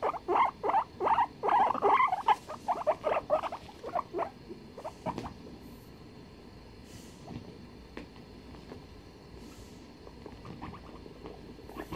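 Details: Guinea pigs duetting on 23 February 2021: a loud run of quick squeaky calls during the first four seconds, then only scattered faint clicks and squeaks over a quiet hissing background.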